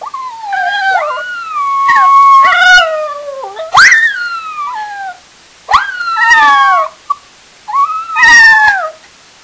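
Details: Pet dogs howling at home after their owner leaves for the store. Higher, sliding howls rise then fall, with overlapping voices and strong overtones, coming in bursts of about a second, some ending in short yelps.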